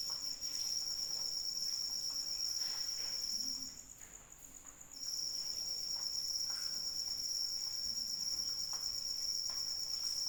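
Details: Crickets calling in rain: a high continuous trill that cuts out for about a second midway, leaving only soft rain, then resumes just as steadily, with light drips throughout.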